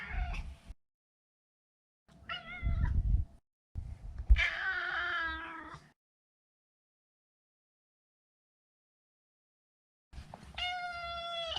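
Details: Neutered male Maine Coon named Maro, a pet indoors: brief cut-off mews, then a wavering, strained meow with stacked harmonics, and later a long steady drawn-out meow near the end.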